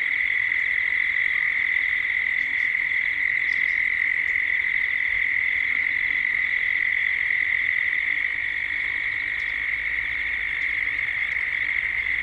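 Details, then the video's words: Cicadas at dusk in Gippsland, Australia, calling together as the evening comes on. Their steady, unbroken buzzing drone holds one high pitch throughout, and faint brief chirps from other birds or insects flicker above it. "Cicadas at dusk, Australia, Gippsland."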